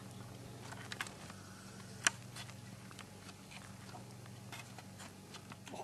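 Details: House cat worn out after too much homegrown catnip, purring in a low, even, rapid rhythm, with crunchy chewing and biting sounds and a sharp click near the middle.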